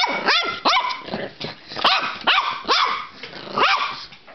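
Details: Border Terrier puppy named Pippy, playing excitedly indoors, gives about seven sharp, high yapping barks in four seconds, each one arching up then down in pitch, spaced roughly every half second with short pauses between.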